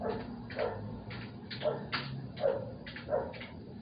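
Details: Dog barking at night close to a residence; four or five quick, mid-pitched barks roughly every half to one second, somewhat distant, with a steady low hum and faint clicks behind.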